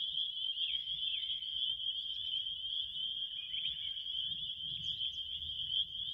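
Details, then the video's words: Crickets sustain a high, constant shrill trill, with occasional faint brief chirps rising above it and a soft muffled low rumble beneath. "7 minutes of relaxing crickets"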